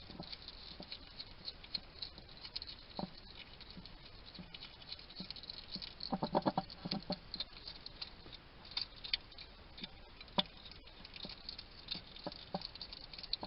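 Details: Trail cam in a Somerset garden, UK, records a wild male hedgehog talking to himself over his food: sporadic crisp clicks building to a rapid, dense burst of chattering crunches midway, then scattered clicks again.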